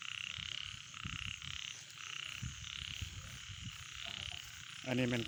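Small frogs call at night in steady, buzzy pulsing croaks, with a brief voice at the end.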